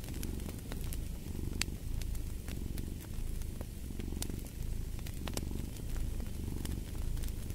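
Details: Cat purring close and deep, the rumble rising and falling in slow rhythmic surges, with the pops and crackle of a burning fireplace over the top.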